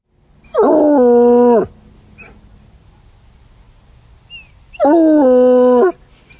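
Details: Trapper, a coonhound, howling; two loud drawn-out howls about a second each, starting with a rising swoop then held steady with rich layered tones, separated by a quiet pause with a faint brief whine.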